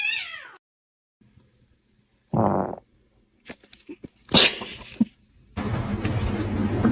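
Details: Domestic cat in a funny-cat compilation gives a short, high, falling meow at the start. A long silence follows, then bursts of thumping, rustling noise and a loud, rough stretch of broadband sound near the end.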